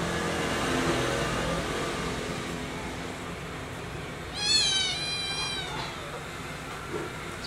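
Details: Newborn kitten, one of three named Cona, Cola and Cota, mother cat Como, bitten by a cat that is not its mother; a single short, high, thin wavering cry partway through, over a low hum.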